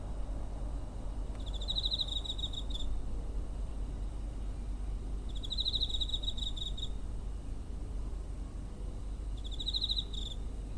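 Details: Three high, buzzy pulsed trills from a cricket near home, 7 September 2023, each about a second long and spaced around four seconds apart, captured with a TASCAM DR-05 amid faint low background rumble.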